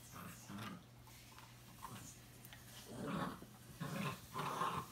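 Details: A Boxer and a Chorkie playing and acting crazy at home; low rough growls swell in short bursts near the end, mixed with scuffling play noises and a steady indoor hum.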